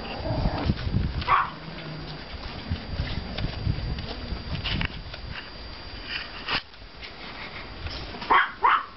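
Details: Yard walk after snowfall on 5.04.14 with Pomeranian puppies of litters 32 and 35: one shrill yap early on, then a quiet stretch of rustling and low rumble, ending in a quick pair of high barks.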